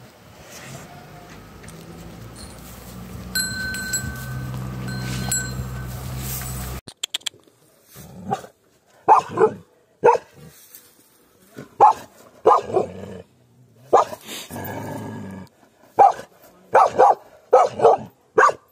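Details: Bakarwal dog: after several seconds of music-like tonal background, a series of separate, sharp barks at uneven intervals, each short with clear gaps of silence between them.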